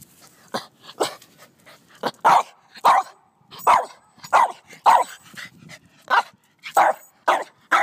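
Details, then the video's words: Scruffy, a pet dog upset by ants in the lawn, barks steadily, short loud yaps repeated roughly every half second to second, some softer, with low background rumble. "Scruffy Vs Ants"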